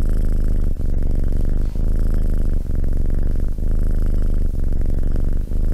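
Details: Cat purring, a deep steady rumble broken by short dips roughly once a second as the cat breathes in and out, with the rhythmic pulsing continuous throughout.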